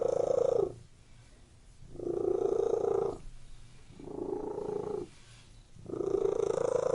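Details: Indoor cat purring, a deep buzzing rumble in four strong pulses separated by quieter intervals, each breath cycle lasting around two seconds.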